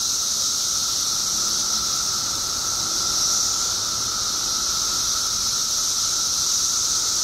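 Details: Periodical cicadas in Illinois, a mass emergence of billions after 17 years underground: an unbroken, dense chorus of high hissing drone with a steady lower whining tone beneath, no pauses or changes throughout.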